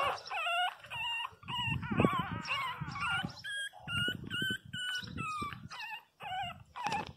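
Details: Several 22-day-old Pinscher puppies cry loudly indoors: thin, wavering high whines in quick bursts about twice a second, some sliding up and down, over low thumps and shuffling.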